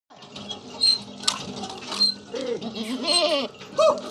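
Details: Village goats in a natural setting, heard bleating with wavering, harmonic cries in the second half, one short bleat near the end, over a background of high bell-like chiming.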